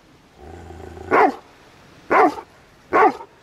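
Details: Dobermann dog out on a morning walk, giving three sharp single barks spaced about a second apart, preceded by a low steady hum.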